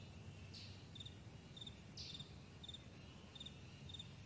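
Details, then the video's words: Crickets on a vast meadow in the morning, giving short high pulsed chirps about twice a second, each a quick cluster of clicks, over a steady low rumble in the background. "Morning Crickets"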